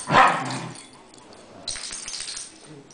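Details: Cairn Terriers playing together indoors: a single short, sharp bark at the start, then quiet room noise with faint rustling and scuffling.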